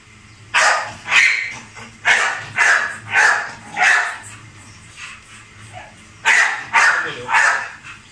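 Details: Hummer, a male Rottweiler, barks repeatedly during feeding and exercise time: about nine forceful, rough barks in uneven runs, some doubled, spread over eight seconds with brief gaps between groups.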